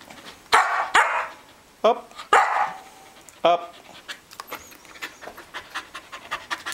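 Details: A Samoyed husky mix doing tricks gives several sharp, loud barks at irregular intervals, followed by softer panting breaths and a voice giving commands.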